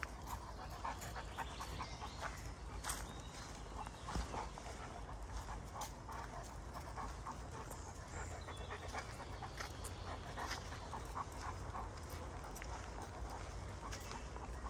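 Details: Panting from Kees, a Greater Swiss Mountain Dog out in Ulvenhout woods, 17 January 2016: fast steady breathy huffs running throughout, with occasional crackling steps and a constant low background rumble.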